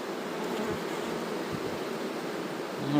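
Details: Buzzing of a honey bee swarm during relocation, bees mostly gathered in: a thick, unbroken low hum with slight flutters, and a man starting to speak just at the close.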